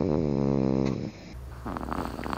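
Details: A sleeping cat snores with a low, buzzy, harmonic rasp held for about a second, then an abrupt cut to quieter breathing and faint rustling indoors.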